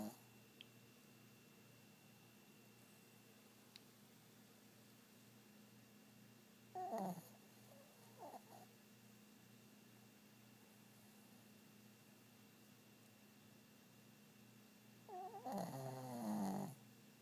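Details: Sleeping dog snoring indoors: two raspy, rattling snore bursts about eight seconds apart, each roughly a second long, over a steady low room hum.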